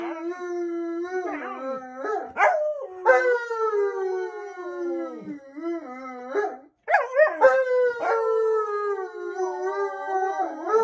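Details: Drawn-out Alaskan Malamute howls, steady at first, then sliding downward with sharp upward yelps between, overlapping wavering voices, and a short break before a strong new howl that slowly falls in pitch.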